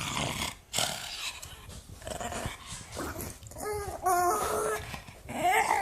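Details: Angry pug grumbling indoors in a small room, rough noisy snorts giving way to short whiny rising-falling growls near the end, several bursts in under six seconds.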